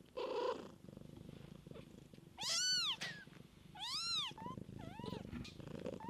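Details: Kittens in a mother cat's care: repeated loud, bright mewing cries, arched in pitch and coming in bursts about every second and a half, over a continuous low, throbbing purr.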